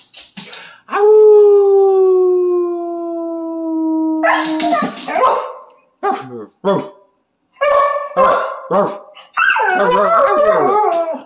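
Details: Siberian Husky singing along with its owner during play: a long steady held note opens, then the dog answers with choppy woo sounds and a closing wavering, warbling howl phrase.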